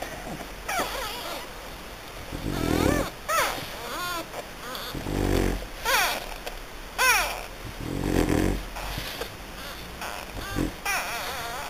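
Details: French Bulldog puppies in Hungary: repeated whining cries with wavering, bending tones, several in quick succession, mixed with snuffling, wheezy breaths and low grunts between calls.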